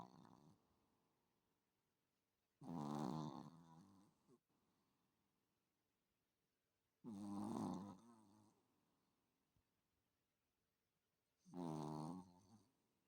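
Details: A sleeping Chihuahua weighing about 3 kg snores in slow, rasping bursts, each breath about a second long, with quiet pauses between.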